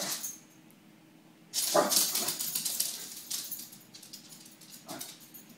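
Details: Pixel, a Pembroke Welsh Corgi scared of balloons, gives a short sharp yelp indoors, set among loud crinkling and rustling bursts from the balloons, with a quieter second cry near the end.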